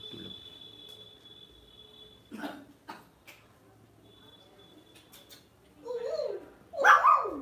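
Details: A Lhasa Apso kept at home gives two short, loud, pitch-bending yelps near the end. Before them is a long quiet stretch with a faint steady electronic tone and a few soft knocks.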